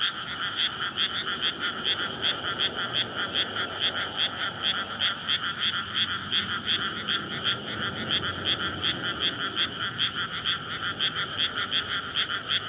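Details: Many frogs calling at night in May from a flooded paddy before rice planting, a breeding courtship chorus beside a road; fast, pulsing croaks stack into a constant loud drone, about two or three beats per second, slight low background rumble.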